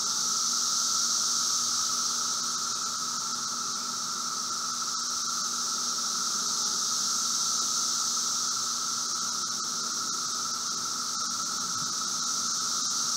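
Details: Emerging Brood V Magicicada periodical cicadas near a house in Logan, Ohio, on a June 2016 afternoon: distant and nearby insects merge into a continuous dull, hissing drone with a piercing upper layer and a steady lower whine, faintly pulsing.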